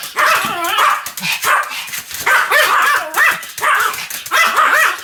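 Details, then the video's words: Pomeranian in a bout of continuous barking: bursts of two to four quick, high yaps with bending pitch, separated by brief pauses about every second, loud and close. "犬の鳴き声 ポメラニアン サムちゃんの連続吠え集"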